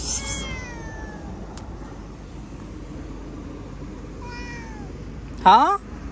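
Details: Domestic cat with a long falling meow, then a shorter softer mew, and finally a loud, abrupt rising cry, over a constant low background hum.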